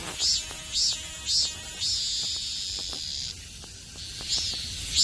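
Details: Meimuna mongolica cicada, one of two on a maple tree in Seocho Culture Arts Park: three quick shrill pulsed notes, then a long sustained high whine, a pause, and the shrill phrase returning.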